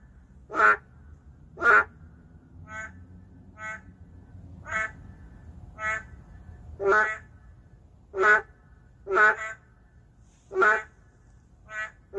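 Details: Endangered narrow-mouthed frogs calling in the city: a long series of about a dozen short, nasal, buzzy croaks, some loud and some faint, spaced one to two seconds apart, suggesting several callers alternating.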